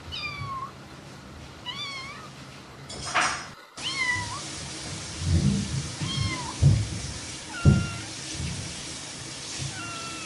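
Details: Playful cat mewing repeatedly, with clear, bending, drawn-out meows spaced a second or two apart, a brief loud rustle partway through, and thuds and knocks in the background.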